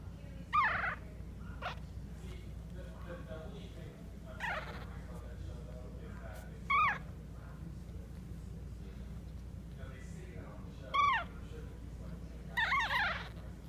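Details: Maltese puppies in Clearwater, Florida, give four brief, high, squeaky whines spaced a few seconds apart. Each is a short rising-and-falling squeal over a steady low indoor hum.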